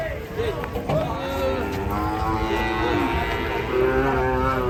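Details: Cattle being unloaded from a truck give a continuous, low, resonant moo rich in harmonics, slightly rising and falling across the clip, with a brief human voice at the start.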